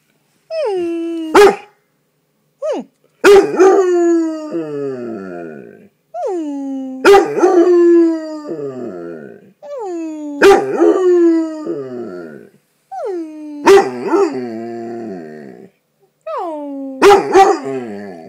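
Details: Pet dog giving its well-known howl after working its way out from under a comforter: six falling, whining howls, each punctuated by a sharp bark-like burst, repeating roughly every three and a half seconds.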